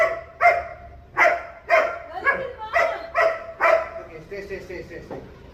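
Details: German Shepherd dog barking in a rapid, uneven series of sharp, harsh barks, about two per second, fading into softer murmuring sounds at the end.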